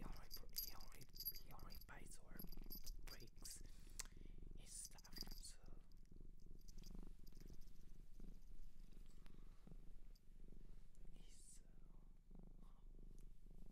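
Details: Domestic cat adopted from a shelter in Japan, purring steadily in a low continuous rumble throughout, with scattered soft rustling and clicking handling noises and faint quiet speech nearby.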